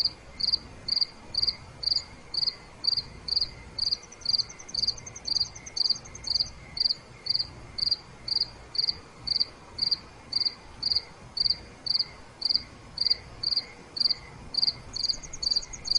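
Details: Nighttime cricket chorus with steady pulsed chirps repeated roughly twice a second, joined at times by a second, higher and faster trilling insect in brief bursts.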